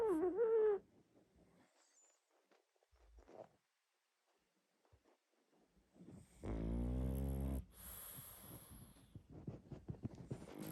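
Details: Sleeping pug snoring loudly: one long, rough, buzzing snore of about a second near the end, with a short tonal whine-like sound at the very start and soft rustles between.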